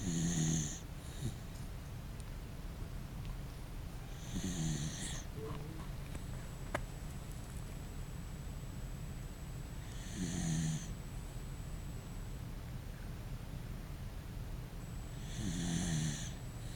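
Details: Sleeping dog named Elf, big-bodied and snoring heartily: four deep, rasping snores with airy hiss, one every five to six seconds, with quiet breathing between them indoors.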